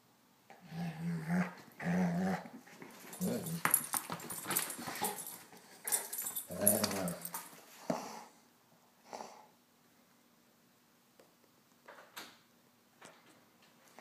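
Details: Male pet Golden Retriever growling at his Jolly Ball while playing indoors; several seconds of dense low growls and snarls, then fading to faint thumps and a soft whine in a small room.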